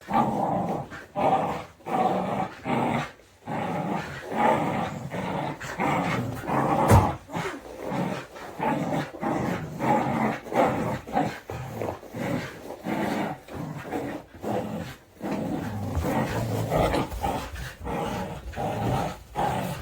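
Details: Two Border Collies playing tug of war, not aggressive, growl and grumble steadily, with low rumbling snarls rising and falling in short bursts; one female is vocal about everything.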